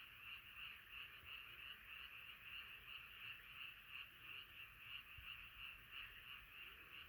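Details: Frogs singing together as a night chorus, rapid throbbing croaks pulsing about three times per second in a continuous, fairly regular rhythm.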